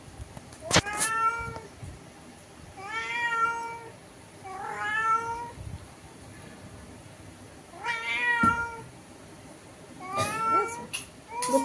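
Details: Cat meowing through a window at another cat outside, angry: five loud, drawn-out harmonic meows, each about a second long, rising then falling, spaced roughly every two to three seconds, with clicks and background music.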